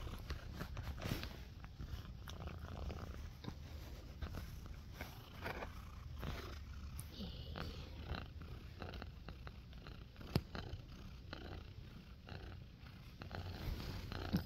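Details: Waking from a nap while wearing a cone, the cat Nacho keeps up a long, even purr, a low buzzing rumble that pulses quickly, broken by occasional light taps and rustles.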